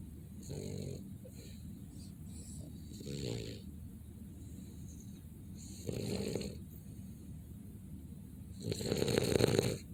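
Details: Snoring from a sleeping Boston Terrier: several breathy, wheezy snuffles spaced a few seconds apart, the last one louder and longer, over a faint constant room hiss.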